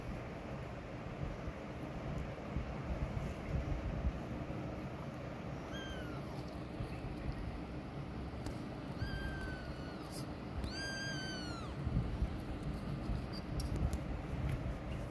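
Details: Mother cat moving away from where her kittens hide, protecting them; a soft meow followed a few seconds later by two louder, drawn-out arched meows in close succession, over a persistent low background rumble.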